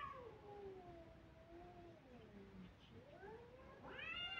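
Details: Kittens crying: long, wavering harmonic meows slide slowly downward and overlap for several seconds, then a louder, higher meow rises sharply at the end.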